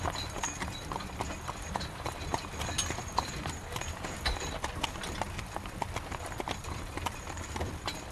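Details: Rain-soaked carriage ride behind a horse, with rapid irregular hoof clops and clicks layered over a broad rain hiss and low rumbling of the carriage.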